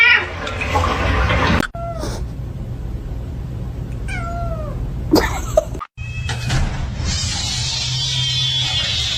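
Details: A domestic cat utters two short, descending meows about two seconds apart, over a steady background rumble with abrupt cuts and a burst of noise between them.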